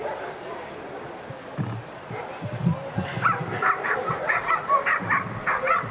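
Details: At the NIAK 2015 dog sport trial, the dog Ivar vom Falorie does protection work. Quiet at first, then from about three seconds a run of rapid, sharp barks, close to two per second, over arena noise.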